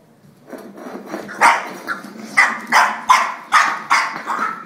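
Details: Angry French Bulldog fighting with a drink shaker: harsh growling barks, short bursts repeated in an uneven rhythm, building in loudness after a quieter grumbling start.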